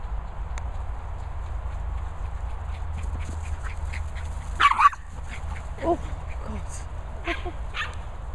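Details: Dog at a training and boarding kennels in the Worcestershire countryside, England, on a mad one at 10.30pm; a sharp bark burst near mid-clip followed by a few softer yelps, over steady low hum and a person's voice.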